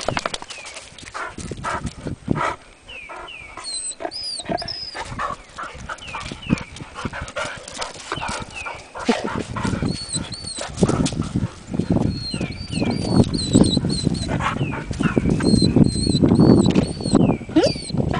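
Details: Two Hungarian Vizslas, Sophie and Sara, playing along the Delaware River near Delaware Water Gap in Pennsylvania's Pocono Mountains, April 14, 2008: rough scuffling, low growls and short yips, with thin descending bird whistles above.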